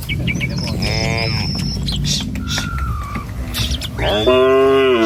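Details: {'caption': 'A herd of tame cattle roams a village road in the morning. A short moo comes early, then a louder, sustained moo at the end. Bird whistles and chirps and shuffling hoof sounds fill the gap between them.'}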